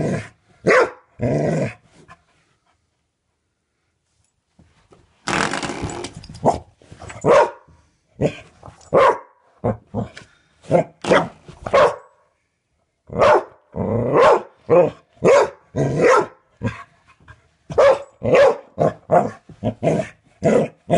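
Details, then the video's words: A dog barks indoors at a doorstop someone keeps flicking; bursts of sharp barks with growly, rougher stretches, a pause near the start, then fast irregular barking to the end. "dog barks at doorstop"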